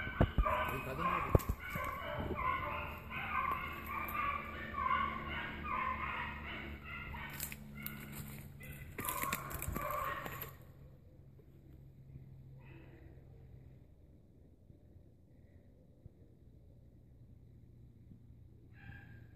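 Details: Dogs chasing an agouti on a hunt. A loud, busy chorus of overlapping bays and yelps fills the first ten seconds with sharp knocks, then fades to near quiet with only a couple of faint distant cries.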